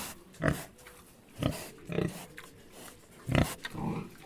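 A pig gives short, rough grunts and oinks, spaced out with brief quiet gaps between them.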